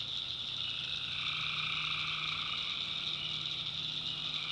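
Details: Swamp at night in the North Carolina backwoods, tree frogs chorusing: dense high buzzing trills, rapid overlapping pulses, and a lower call band entering partway through.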